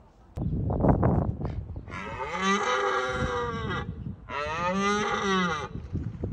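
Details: Red deer stags roaring in Bushy Park during the rutting season, the roar deterring rivals: low wind rumble first, then two long harmonic-rich roars of about two and one and a half seconds each.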